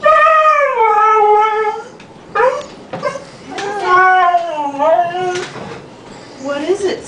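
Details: A Siberian Husky talking: loud, drawn-out howl-like vocal phrases that slide downward in pitch, followed by shorter wavering yowls and brief broken notes, with quiet pauses between.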